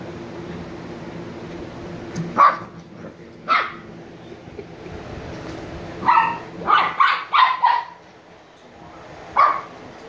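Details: Niro and Kyno, two sleepy 86-day-old Shiba Inu puppies, give short, high yipping barks. A pair comes early, then a quick cluster of four and one last yip after a quiet pause, over a faint steady hum.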